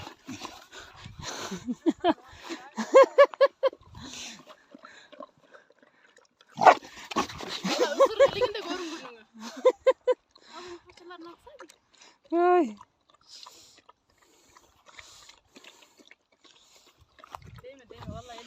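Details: Young Sivas Kangal pup, a male protective of his food against a female pup and a chicken and even snapping at his owner while eating, makes harsh growls and a falling whine, mixed with human talking and laughter.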